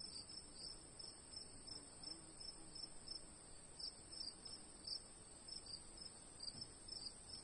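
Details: Crickets singing in the afternoon: a steady, very high continuous trill runs throughout, overlaid by a lower, pulsed chirping repeated several times a second, with a faint background hiss.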